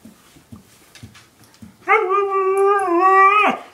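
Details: Steady sustained howl lasting over a second from one of two pet dogs, Chinook, a one-year-old husky, and Lola, an eight-year-old German shepherd mix, after faint soft huffs in a quiet room.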